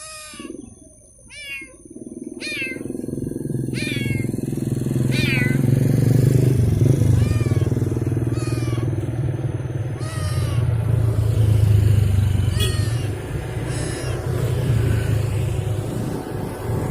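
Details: Abandoned stray cat on a street, wanting to follow someone home, gives a series of short rising-falling meows in two bursts, separated by a lull, over a heavy motorcycle engine rumble and traffic noise.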